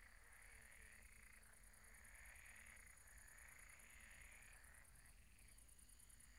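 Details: A chorus of frogs croaks at a pond at night in overlapping rising pulses, with a high steady insect trill above.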